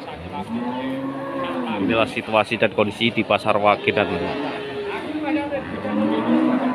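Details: At the Pati Wage cattle market, a Limousin-type bovine gives a sustained, smoothly bending moo for about two seconds, followed by choppy voices and further low lowing in the busy surroundings.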